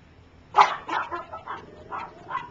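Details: Three-week-old puppies of a dog named Gypsy, learning to walk. A loud high yip opens, followed by four softer squeaky yelps spaced about half a second apart over a faint background hiss.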